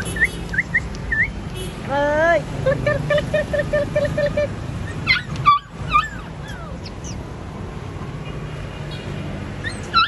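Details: Purebred platinum-coloured Golden Retriever giving short, high, rising whimpers, then a run of about ten even, squeaky pulses, followed by scattered thin whines over steady low background noise.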